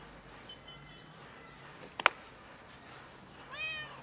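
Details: A cat perched on a bench after following a person meows: a faint drawn-out meow at the start, a sharp click midway, then a louder arching meow at the end.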